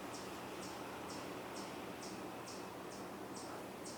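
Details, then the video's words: Chipmunk calling in woods on the Cornell University campus, Ithaca, New York, on 27 June 2024, where a hawk may be the cause of the calling; short high chips repeated steadily about twice a second over a constant background hiss. "that chipmunk could very well be vocalizing because of a hawk in the woods"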